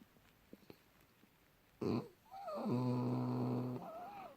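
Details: French Bulldog Junior, deep asleep in January 2018, gives a short breathy puff, then a steady low droning snore overlaid with a thin wavering whistle lasting over a second.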